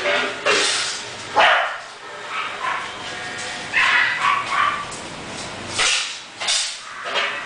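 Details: English Bulldog barking in short, rough bursts scattered across several seconds, with quieter stretches between barks and some human voices in the background.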